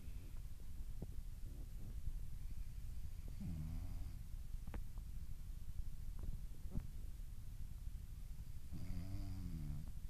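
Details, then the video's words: Asleep and dreaming, a French Bulldog lets out two rasping, buzzy snores about five seconds apart. A quiet low rumble and scattered small clicks fill the room between them. "Französische Bulldogge schläft und Träumt"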